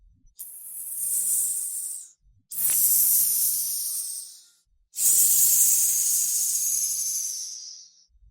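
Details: Snake hissing as a warning, three long breathy hisses of about two seconds each separated by short pauses, with a faint low hum beneath.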